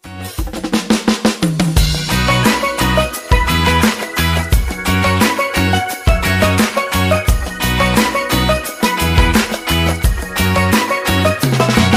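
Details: Loud drum-driven music with snare hits, rimshots and bass drum under sustained tonal layers fills the whole stretch, with no animal voice audible.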